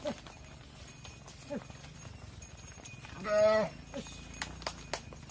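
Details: Cows on a farm, mothers entering the barn with calves left outside: one short, loud, strongly harmonic moo lasting about half a second, among soft thuds, faint lowing and clatter.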